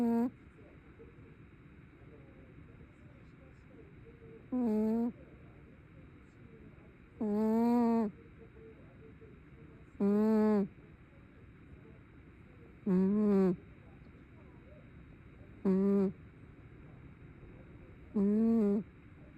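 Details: Tabby cat snoring while asleep, producing a regular series of seven or eight buzzy, wavering hummed tones, each under a second, repeating roughly every two and a half to three seconds.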